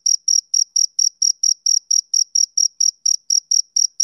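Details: Male cricket on a summer evening giving short, piercing chirps in a quick even beat, about seventeen in four seconds, each a brief high buzz, background otherwise quiet.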